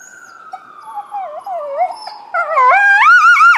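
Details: Coyote vocalizing in response to a passing ambulance siren, recorded February 20, 2018; a steady siren tone gives way to wavering, warbling howls that rise and grow louder, with quavering pitch toward the end.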